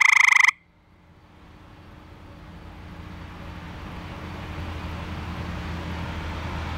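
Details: A male eastern gray treefrog (Hyla versicolor), found calling for a mate in a backyard pool at night by flashlight, resumes calling with a short, loud musical trill as soon as he is set down.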